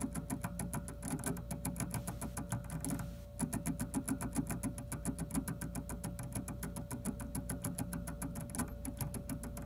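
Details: A colored gerbil, a species with a strong bite, gnaws a kitchen-paper tube inside its cage with rapid, dry clicking bites, several each second, over a steady low hum.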